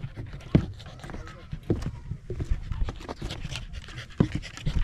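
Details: On a rural mountain trail near the Ina Valley in autumn, a Pembroke Welsh Corgi breathes in quick soft pants, with sharp thuds of steps and some low murmured talk behind.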